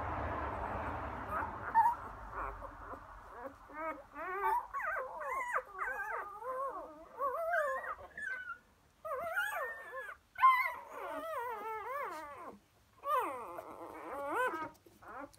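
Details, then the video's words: Labrador Retriever puppies just four days old, from Emma and Floyd, recorded 1/5/2016: muffled rustling opens, then overlapping wavering whimpers and high squeals rising and falling, with short pauses between bursts. "Emma Puppies 4 days old"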